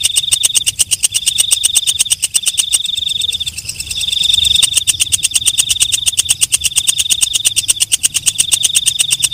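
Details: Katydid calling after dark: a dense train of crisp ticks over a high, ringing tone with brief breaks, swelling in the middle and steady through the rest.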